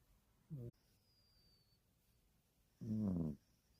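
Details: Snoring puppy gives a brief low snort, then after a pause a fuller, longer rasping snore; a faint thin bird whistle sounds between them.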